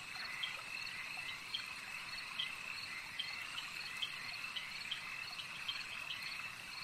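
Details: Frogs at a lake produce a continuous high, buzzing chorus, punctuated by crisp short chirps scattered across the recording.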